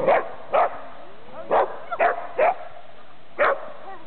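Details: Dachshund barking while meeting a Wheaton Terrier/Giant Schnauzer mix at a Seattle park: six sharp, mid-pitched barks spaced irregularly over four seconds, each short and punchy, with a quiet outdoor background.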